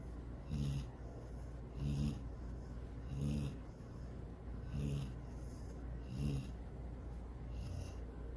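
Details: Female pet dog Sydney asleep and dreaming of chasing a rabbit and swimming in the lake, snoring steadily: low rumbling inhalations paired with airy hisses, repeating about every 1.3 seconds, six breaths in total.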